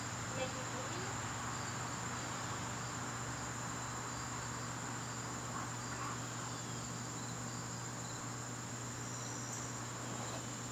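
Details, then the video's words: Garden crickets on an evening in September produce a continuous shrill, even trill from start to finish, accompanied by a steady low hum and faint scattered background noise. "garden crickets"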